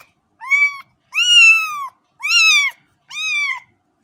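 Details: Four drawn-out cat meows in quick succession, the second and third longest and loudest, each bright and slightly falling at the close.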